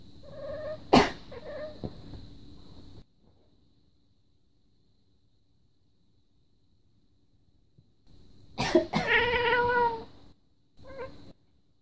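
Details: Indoor pet cat complaining in response to its owner's coughing, a second cat briefly passing by; a sharp click and harmonic-rich mews near the start, silence, then a drawn-out complaining meow with steady stacked harmonics, followed by a short burst.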